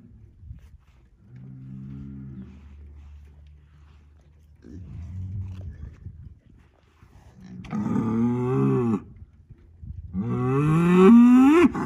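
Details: Angus bull bellowing in a barnyard, asserting dominance over two other bulls; quiet low moans early, then louder harmonic bellows near the end rising in pitch into a strained upward sweep.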